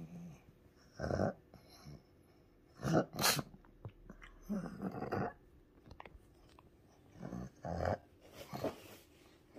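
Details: Pug dog having a strong seizure, given anti-epileptic medicine through the nose: short rough noisy bursts of growling, breathy sounds, each about half a second long, irregularly spaced, with a woman's soft reassuring Japanese speech nearby.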